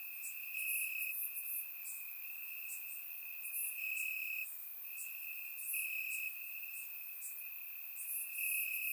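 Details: Grass crickets on a warm summer night in Bulgaria, surround microphone; an unbroken piercing trill with rhythmic louder bursts, over a background of fine high-pitched insect clicks.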